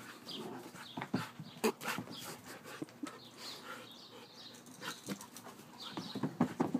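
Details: Playing Siberian Husky making scattered grunts and brief growly vocal bursts amid rustling and scuffle noises, with a few sharper yelps near the end.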